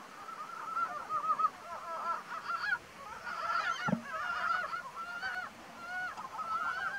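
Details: Ezo brown frogs calling in April, a seasonal spring sound; many short chuckling, clucking notes repeat rapidly and overlap in a continuous chorus, with one brief low thump partway through.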